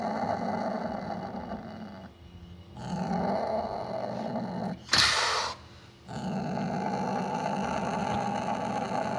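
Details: Growl of a Sumatran leopard cat, locally kucing kuwuk: sustained gravelly rumbling, interrupted by a short lull, then a sharp hissing noise burst near five seconds, another quiet gap, and renewed steady growling.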